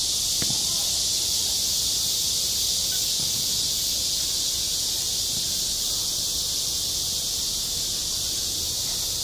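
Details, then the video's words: Midsummer cicada chorus at a school playground, a dense, constant shrill buzz that never pauses, with a soft tick or two in the background. "한 여름 운동장에서 매미가 울고 있다 - 여름의 소리, 학교 종소리, 매미 울음소리"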